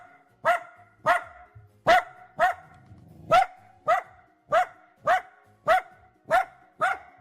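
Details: Happy Dachshund vocalizing as it is petted, giving a steady run of about twelve brief, clear, nasal whimpers spaced roughly half a second apart, each with a sharp onset and quick fade.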